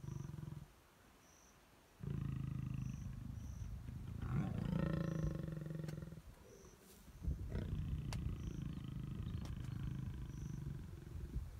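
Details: Mating lions in long grass at Klein's Camp, Tanzania, April 2019, the male biting the female's neck; low rasping growls and snarls in several bursts, louder and harsher midway, separated by brief quiet gaps, with faint repeated insect chirps.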